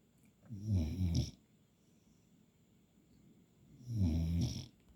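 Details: Puppy snoring while asleep; two low, raspy snores about three seconds apart, each with a rough rattling inhale, otherwise quiet.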